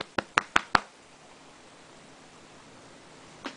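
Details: No animal voice; four sharp knocks or taps in quick succession open a quiet indoor room, followed by faint hiss and one softer tap at the end.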